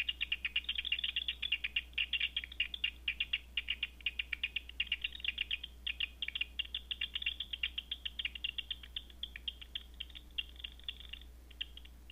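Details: Night-flying bats heard through a Batseeker 4 detector, rendered as an almost unbroken stream of fast crackling clicks for about eleven seconds, thinning out at the close, with a constant low hum beneath.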